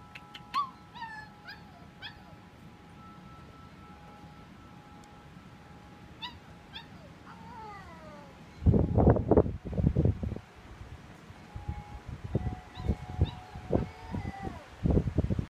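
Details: A Basset Hound puppy gives drawn-out, wavering howls, steady in pitch then sliding, while howling at bright chiming wind chimes on a sunny March day.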